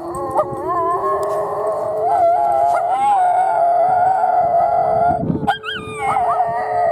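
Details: Two Miniature Schnauzers in Oklahoma City howl along with the Saturday noon tornado siren test. Their wavering, quavering howls rise and fall over the siren's steady drone.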